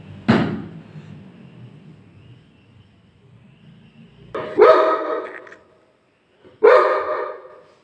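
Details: Angry Labrador Retriever barking: one short sharp bark, a long pause with low background hum, then two more forceful, resonant barks about two seconds apart.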